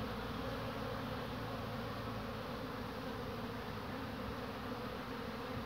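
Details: Tired honey bees carrying pollen rest on a hand, then fly off, on a cool 22 March 2019. A constant, even hum of many wings fills the stretch without pauses.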